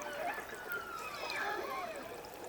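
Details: A killer whale pod in icy waters, calm after a storm, trades excited, overlapping dialect calls, with squeals and whistles sliding up and down through the water.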